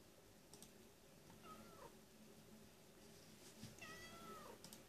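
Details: Crying domestic cat gives two drawn-out, plaintive meows about two seconds apart, each sliding downward and ending in a falling tail, with soft clicks and a steady low room hum behind.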